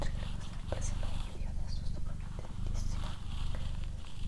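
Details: Doroti, a female pet cat, purring: a steady low rumbling drone that runs through the whole stretch, with soft whispered human speech and faint clicks over the top.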